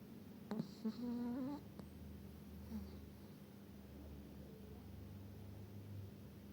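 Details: Eva, a small Chihuahua in Sochi, snores. A single buzzy, droning snore lasts under a second, with a couple of faint clicks before it, then only a steady low room hum.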